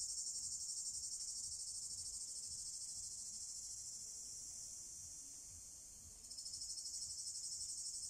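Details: Cicadas calling in summer in Drôme and Ardèche, France, males singing by day to attract females; a high, rasping, pulsed drone that slowly fades, dips, then abruptly returns louder and throbbing again.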